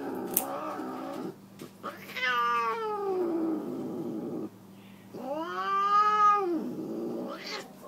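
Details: Siamese tabby cat complaining as her nails are clipped: two long, wavering harmonic yowls, the first sliding downward, the second arching up and falling, with a low background hum and faint handling noises.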